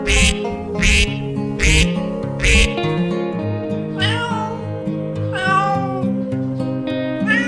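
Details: Domestic cat meowing over a steady background of plucked-string music: after several duck-like quacks, two or three drawn-out, wavering meows rise and fall in pitch during the second half.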